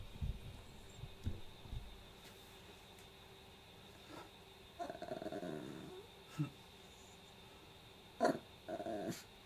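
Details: Kohaku, a pet Chihuahua, fusses in front of the toy box wanting family attention and a toy; low grumbles, then a drawn-out whine and a few short sharp barks spaced over several seconds in a quiet room.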